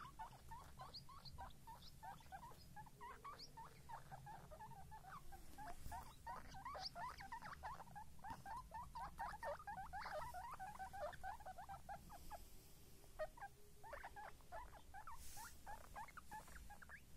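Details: Several baby guinea pigs chattering in a dense stream of short, overlapping squeaky notes, busy and fast through the middle, thinning out toward the end, with faint rustling and handling noise throughout.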